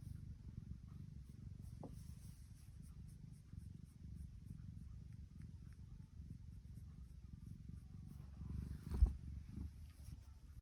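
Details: Purring from Tiki, a contented female tuxedo cat: a continuous deep, throbbing rumble held low for the whole stretch, broken near the end by a sharp brief knock.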